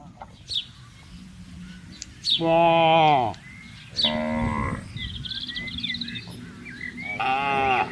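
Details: Cattle on a wide grazing field calling the herd: several short, falling moos spaced a second or two apart, with bird calls and chirps between them.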